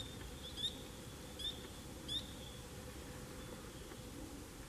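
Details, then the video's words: Autumn tree frog song recorded October 25, 2021 amid fall foliage: three clear, high, rising peeps spaced under a second apart, followed by a faint fourth note, over a low background rumble. "Tree Frogs singing among the beautiful fall foliage"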